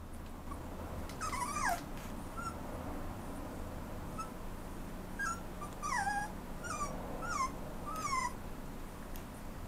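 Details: A Toy Poodle puppy waiting for adoption at a rehoming shop in Japan gives thin, high falling whines and brief yelps, about eight short cries spread over ten seconds with a low hum underneath.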